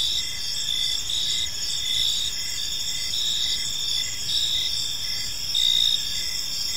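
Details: Crickets in an evening park give a steady, high, rhythmically pulsing chirp chorus, several insects overlapping, with a slightly louder burst near the end and gentle low ambient hiss.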